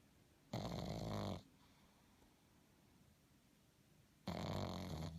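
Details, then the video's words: Pug asleep, giving two harsh raspy snores, the first near a second long and the second starting almost four seconds later, low and buzzing with a quiet room in between. "Pug snores"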